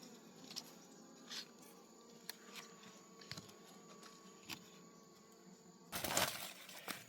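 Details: Wild honey bee colony humming during a forest honey harvest. A steady low drone with a faint higher tone runs throughout, broken by scattered taps and handling noises, then a loud burst of rustling near the end.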